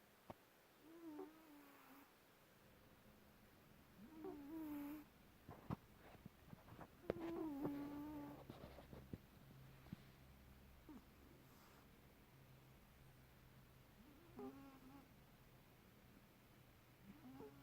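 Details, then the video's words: Domestic cat sleeping deeply indoors in Perth, Western Australia, snoring: soft whistled nasal tones that wobble and slide, returning every few seconds over quiet breathing and a faint low hum. "cat, snoring"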